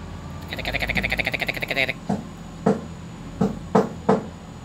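A green frog gives short, plucked, twanging notes after a rapid buzzing trill.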